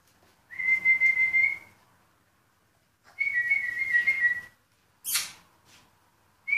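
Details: Purebred Rhodesian Ridgeback puppies, born 14 February 2016: two long, steady, high whines, each lasting about a second, with a slight wavering, then a short sharp noise and the start of another whine.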